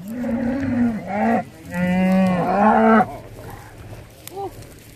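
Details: Hereford cattle with calves arriving on Skarø, Denmark, in April 2016 for summer grazing, one animal on the wrong side of the fence; long, rich, overlapping moos, some rising and falling, then quieter lowing.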